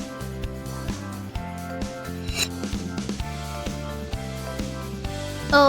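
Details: Cheerful children's music with a bouncing bass line plays under brief speech and a rubbing noise near the end, with no animal sounds.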